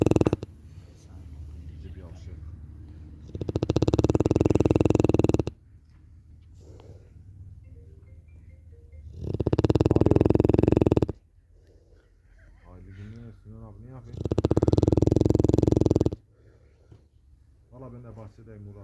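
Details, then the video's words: Larissa, a Cane Corso, snoring with her unusual rattle in three loud two-second bursts of fast, buzzing pulses, separated by people talking and laughing. "Cane corso 《Larissa》 yok boyle horlama sekli"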